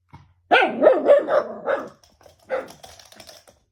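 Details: Shiba Inu barking at something unseen: a burst of four or five sharp, loud barks in quick succession, followed after a pause by a softer bark and muffled grumbling noises.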